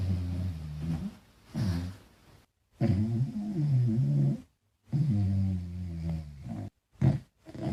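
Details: Small dog named Falkor snoring while asleep and dreaming; deep rumbling low snores in long bursts broken by short silences, some breaths carrying a wavering, moaning tone.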